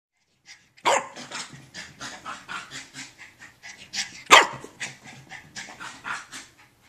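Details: Tinker Lilly, a female Maltese aged 1 year 2 months, racing laps after her bath and summer haircut; two sharp barks near the start and middle stand out over rapid panting and scrabbling bursts.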